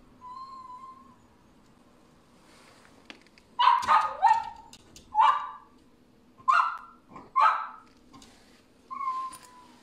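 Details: Dachshund, a playful pet wiener dog, gives a thin, steady whine, then a run of six sharp, high yips and barks in short bursts about a second apart, and closes with another drawn-out whine in a quiet room.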